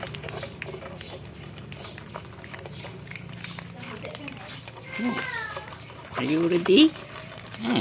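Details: Pet cats living in a home, fed together at feeding time: people talk quietly, then a short meow comes, followed by a louder, wavering, rising-falling meow near the end. Clinks of feeding are heard throughout.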